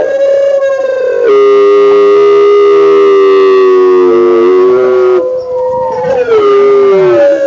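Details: A gray wolf gives long, steady, mournful howls that hold a middle pitch and slide gently at the ends.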